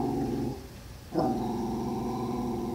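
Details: Jack Russell Terrier going after a guinea pig: a steady, low, rumbling growl that drops away for about half a second, then returns with a sharp onset and holds evenly to the end.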